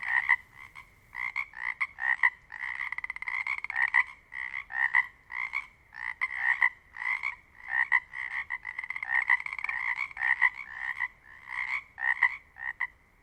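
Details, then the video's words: Pacific chorus frogs in the Pacific Northwest call together, a dense stream of raspy two-part 'rib-it' notes overlapping, each frog audibly different from the others. "Sounds of the Northwest: Pacific chorus frogs"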